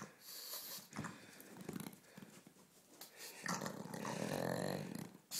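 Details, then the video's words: Ulisse, a pet pug, growls and snorts while playing, a low rasping rumble building to a longer throaty growl near the end, with some handling noise. "Playful pug dog / carlino"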